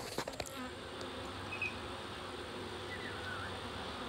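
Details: Large early-season reproductive swarm of honey bees, close to 7 lbs, clustered on a fence junction in Dale County, Alabama, during capture; steady dense buzzing hum throughout, with a few sharp knocks and clicks in the first half second.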